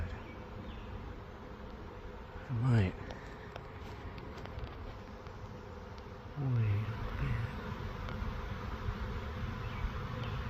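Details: Swarm of honeybees, described as a million strong: a dense, steady low hum fills the recording, with two louder buzzing sweeps falling in pitch around three and seven seconds as bees pass close by.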